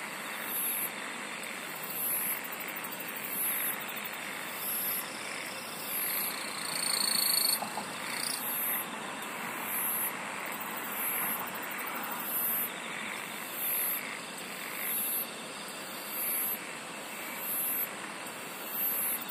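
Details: Insect chorus with shrill sustained tones and high ticking bursts repeating roughly every second, rising and falling in loudness over a constant pulsing background hum.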